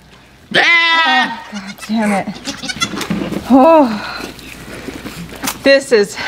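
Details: Blossom, a miniature goat in labour on a farm. One loud, quavering bleat opens, followed by shorter wavering cries mixed with human speech and handling noises.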